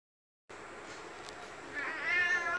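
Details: After a moment of quiet background hiss, a cat starts a rising, strained meow that swells in loudness and is cut off abruptly by a sharp click.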